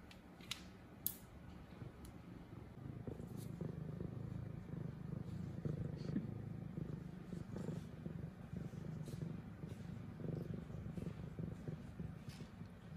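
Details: Steady, deep purring from Zara, a female F2 Savannah cat playing with her new toy, a low rhythmic rumble lasting the whole stretch, with occasional soft rustling and clicking sounds.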